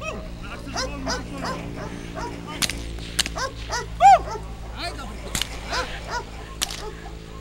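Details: Young K9 dog, a black Belgian Malinois and German Shepherd mix, barks in short repeated bursts during bite training while a handler speaks Polish praise; sharp whip cracks, a humming background tone and faint music also heard.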